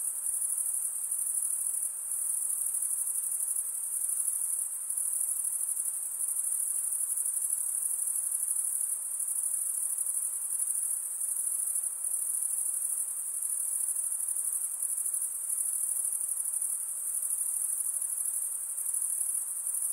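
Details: Unbroken nocturnal insect chorus: a shrill, high, ringing trill held at a steady level for the whole stretch, with soft pulsing in loudness and faint low hiss behind it.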